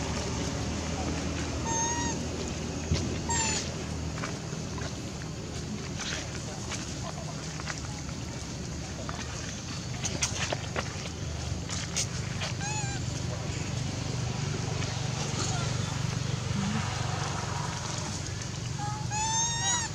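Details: Young monkey Beving crying loudly and frightened after a hard bite from A Rey: short high tonal cries with stacked harmonics, rising then falling, a few bursts early and one at the end, over steady wind-like rumble and scattered clicks.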